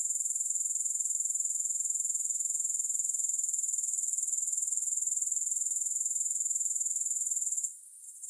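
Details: Sleep-aid recording of grasshoppers: an even, high, metallic buzzing pulse repeated around four times per second, stopping abruptly in the final second, with no accompanying music.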